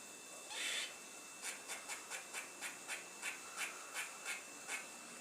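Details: A squirrel on top of a fence, curling its tail, gives a series of short, raspy, hissing pulses, repeated several times a second.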